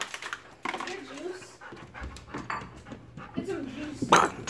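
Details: Chowder, a male Golden Retriever excited to see his owner from behind a gate indoors, gives wavering whines and quick pants, rising and falling in pitch, mixed with a person talking softly in Spanish.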